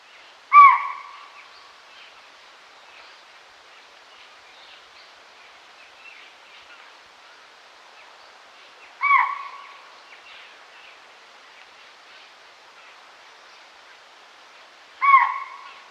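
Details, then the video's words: Deer calling to the herd in a forest: three short, clear tonal calls with a strong lower band and a fainter upper band, spaced about six to eight seconds apart, over faint scattered bird chirps. "Ciervo llama a la manada en el bosque"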